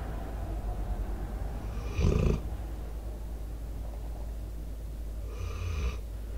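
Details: Debo, a sleeping American Staffordshire Terrier/Pitbull aged four, breathes heavily near a microphone. Two rasping snores roughly three and a half seconds apart, rough and low with a hissy edge, against a soft steady drone.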